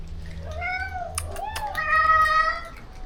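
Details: Rescue cat at a shelter meowing while being fed among a colony of 30+ cats: long drawn harmonic meows, the second rising then held steady, with a person's voice nearby.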